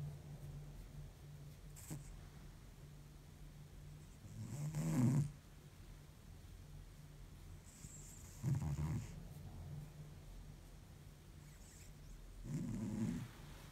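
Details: Exhausted cat deep asleep snoring heavily, three coarse, grumbling snores about every four seconds, each swelling then fading, with quiet hum in between.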